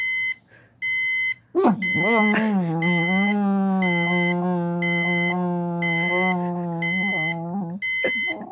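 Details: Jäger, a pet pit bull, reacting to a beeping alarm clock with one long drawn-out howl lasting several seconds, steady in pitch with a brief rise at the start, the alarm's rapid repeated high beeps continuing throughout.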